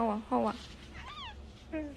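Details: Domestic cat from a funny compilation giving short, clear meows, two quick ones at the start and rising-falling mews after, over a low steady hum.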